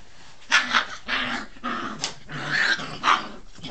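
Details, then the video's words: Brittany puppies playing growl and yip in a noisy scuffle. Rough, harsh bursts come about every half second, with sharper yelps standing out. "Brittany pups playing"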